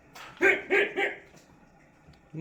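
Three short, bright barks come in fast succession from a dog, each a clipped yappy burst about a third of a second apart. A voice murmurs in the background before and after.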